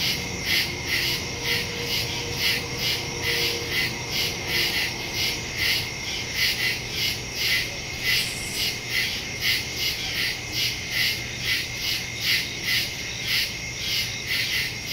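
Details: Crickets calling after dark in the woods, taped September 2, 2023 via a Shure MV88+ stereo microphone on a Samsung Galaxy S22 Ultra; a continuous high-pitched chorus beats in even, rapid pulses, about two each second.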